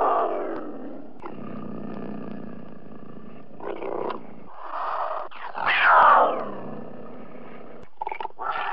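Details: Cougar growling with a long, low, rasping rumble that swells into a louder, harsher snarl partway through, then fades into shorter gruff bursts.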